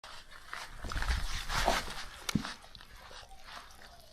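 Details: Beagle at mealtime. Short, breathy yips and snuffles cluster in the middle seconds, with a sharp click near the end, indoors.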